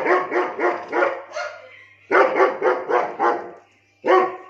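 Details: A 17-month-old German Shepherd in Lucknow barks in two fast runs of about five deep, rough barks each, followed by one final bark.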